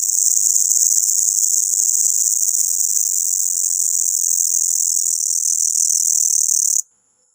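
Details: A locust makes a loud, steady, high-pitched buzzing drone at night that cuts off abruptly.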